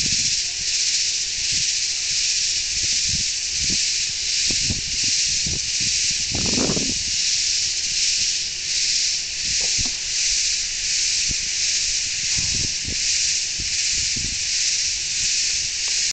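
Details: Crickets on a dark June night in Stonewall, Texas. They form a loud, unbroken high trilling chorus that swells and fades in a slow, steady pulse, with occasional soft low thumps and rustles underneath.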